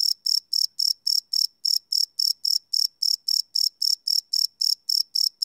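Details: Crickets chirping at night, recorded live on a Sony PCM D100 field recorder: short, high, bright pulses repeated about four times a second in a steady train, with no other sounds.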